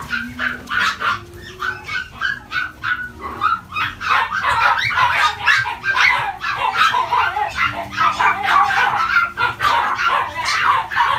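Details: Chihuahua yapping steadily, short high barks roughly one per second at first, then crowding into rapid overlapping yips and whines, with a low steady hum underneath.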